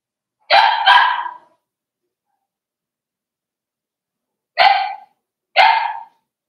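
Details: Cavalier King Charles Spaniel puppies, five weeks old, in their mother Daisy's puppy pen indoors; two pairs of sharp, high yappy barks, the second pair about four seconds after the first, with silence between.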